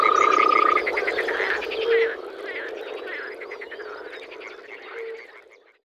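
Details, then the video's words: European frogs croaking in spring in Czech wetland, with busy rattling pulses and brief low notes, with the whole chorus gradually fading to silence by the end. "European frog calls"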